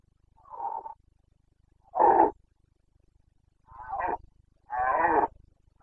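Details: Carpathian red deer stag in rut, breeding season in Bucovina, Romania, 29 September 2022; four hoarse, throaty roars about every one and a half seconds, each under a second long, loud and rough with rich harmonics.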